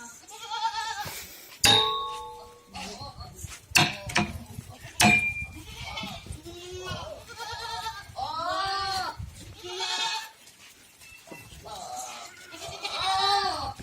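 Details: Farm goats in Ajmer, Rajasthan bleating repeatedly, each call a wavering, nasal, harmonic-rich cry, several overlapping animals calling roughly every one to two seconds, with sharp knocks, clanks and occasional human voices in between.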